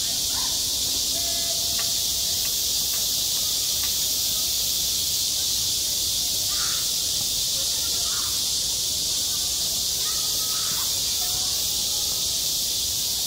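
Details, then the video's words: Midsummer cicada chorus over a school playground: a continuous high, sizzling buzz at constant strength, with a few faint, brief mid-pitched chirps and tones poking through now and then. "한 여름 운동장에서 매미가 울고 있다 - 여름의 소리, 학교 종소리, 매미 울음소리"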